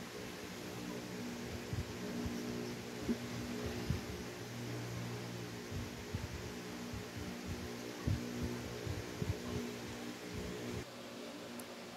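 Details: Steady fan-like hum with faint music and low thumps fills a small indoor room; no animal voice stands out.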